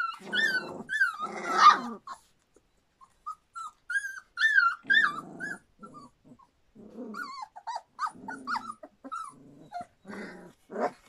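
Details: Three-week-old Standard Poodle pups crying: arched, high-pitched whines rising and falling, mixed with lower grunting squeals and rough nasal bursts, in irregular clusters separated by brief silences.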